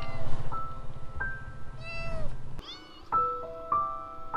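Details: Street kitten offered food that it refuses to eat, meowing once in a drawn-out, falling cry amid sustained electronic music tones and low rumble.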